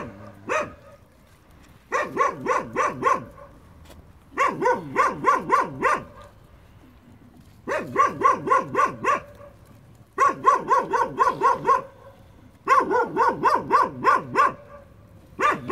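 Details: Several puppies at play at a building site give rhythmic bursts of sharp high yelps, each burst of about six to eight notes lasting two seconds and repeating every two to three seconds.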